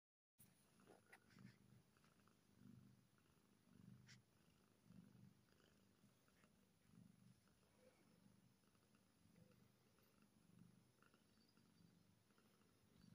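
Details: Happy kitten purring: a soft, low rumbling purr swelling and fading in steady cycles about every one and a half seconds, with faint clicks and light rustling in a quiet room.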